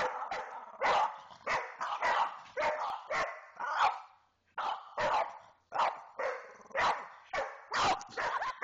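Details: Pair of pet dogs trading barks at each other in play, loud harsh barks repeated in rapid runs with a brief pause midway, nearly continuous back-and-forth.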